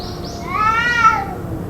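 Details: Possibly fighting cat calling endlessly for roughly two hours: one loud, stretched harmonic wail rising then sliding down, preceded by two brief high chirps.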